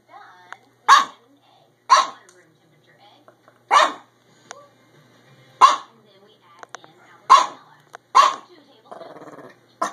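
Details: Chihuahua-Pug mix dog at a window barking at new neighbors across the street, recorded March 22, 2015; seven to eight sharp barks spaced one to two seconds apart, quiet speech and a brief rumble near the end.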